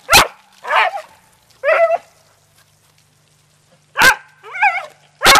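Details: Beagle and dachshund family dogs playing in water bark in short bursts, some clean sharp barks and others with rising, strained harmonic yelps, arriving in pairs with a two-second pause between groups.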